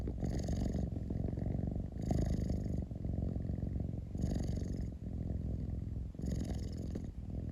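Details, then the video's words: Domestic cat purring indoors: a continuous low rumbling purr with louder breathy bursts about every two seconds, each swelling for under a second before easing back. "Cat rumbling sound 猫のゴロゴロ音"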